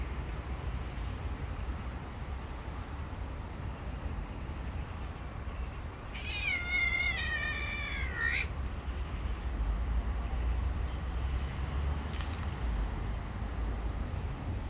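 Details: Stray mother cat and her little kittens living on the street, running up for food; a single long, drawn-out meow that rises and then slowly falls, set against a steady low outdoor rumble with a few faint clicks.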